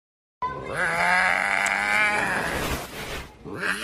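A tiger cub gives a strained, bleating roar lasting about two seconds.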